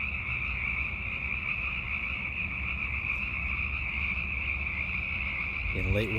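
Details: Hundreds of Sierran chorus frogs calling to attract mates in late winter and early spring: a dense, unbroken chorus of high trilling calls merged into a steady shrill band, with a brief voice near the end.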